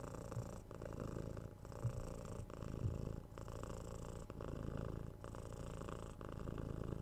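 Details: Domestic cat giving a steady, deep purr indoors, rhythmic breaths pulsing about once per second, smooth and even throughout with only slight handling noise.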